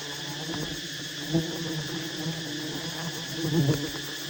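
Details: Wild honey bees at a massive nest while honey hunters approach and harvest it. A steady low droning hum runs throughout, with a soft thump near the middle and a slightly louder swell toward the end.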